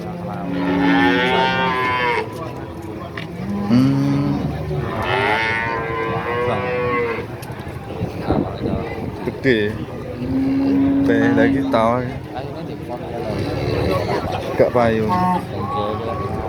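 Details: Cattle at Nganjuk's Pahing cattle market, East Java; several long, deep, steady moos follow one another every few seconds, some rising and falling, over a constant murmur of traders' voices.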